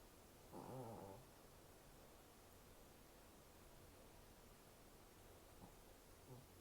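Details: Snoring Shih Tzu, a brachycephalic short-snouted breed: one short, rattling, low buzzy snore near the start, followed by near silence with only faint breathing.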